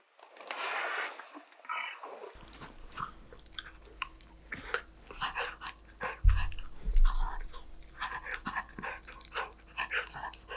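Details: Golden retriever eating snacks: after a brief softer opening sound, a steady series of crisp, crackling crunches and bites at an irregular pace, with a couple of low thumps near the middle.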